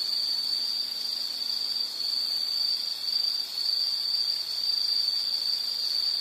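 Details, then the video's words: Insect chorus in nature, a steady continuous high-pitched trill holding one pitch throughout, with slight swells in loudness and soft background hiss. "Sound · Nature Sound of nature sounds scenery L · insect"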